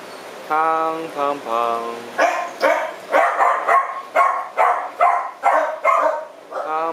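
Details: Punk, a female French bulldog with hip joint problems, at the TUAPA shelter on 4 July 2010: after a stretch of human voices, sharp barks repeat at a quick, uneven rhythm, roughly twice a second.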